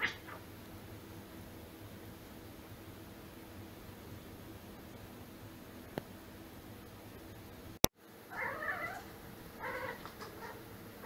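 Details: Domestic cat making strange sounds: near-silent room hum for most of the recording, a sharp click, then two harsh, throaty cries in the final seconds.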